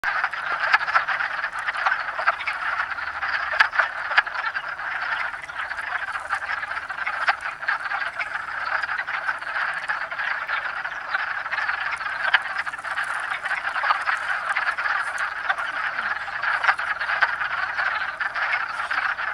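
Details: Wood frogs (Lithobates sylvaticus) in a breeding chorus in south central Pennsylvania on 7 March 2009, calling and in amplexus: countless short duck-like clucks overlap into a steady rattling din.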